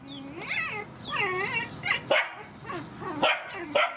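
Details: Puppies and mother dogs from a rescue being fed: rising-and-falling whines, then several short yips and barks in close succession.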